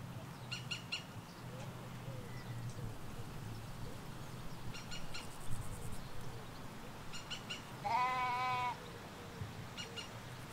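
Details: Sheep in a Hampshire countryside field where ewes and lambs graze, recorded in stereo by a hedge: a single clear, wavering bleat near the end, with short bird chirps throughout and a low distant hum.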